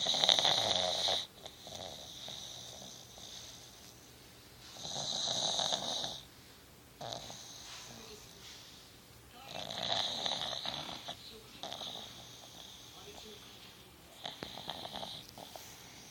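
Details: Pug named Nikki, sleepy and snoring on a couch indoors: raspy, hissing snores in bursts of one to two seconds, separated by quiet pauses of several seconds, with an even rhythm through the recording.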